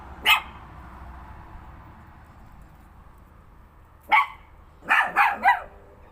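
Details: Pet dog barking at nothing: one sharp bark, a pause of several seconds, then a quick burst of four barks in close succession, indoors with low background hum.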